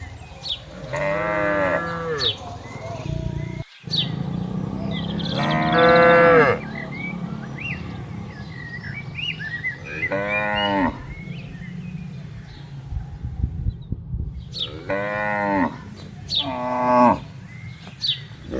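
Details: Herded cattle entering a farm pen: a series of five moos spaced a few seconds apart, some deep and some higher, over steady low rumbling, with birds twittering in between.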